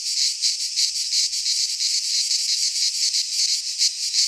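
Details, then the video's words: Pulsing, rasping drone of cicadas singing in a Greek pine forest at midsummer, quick throbs of high buzz rising and falling a few times a second. "Cicadas singing in midsummer - Nature sounds from the Greek fauna - Sounds of cicadas"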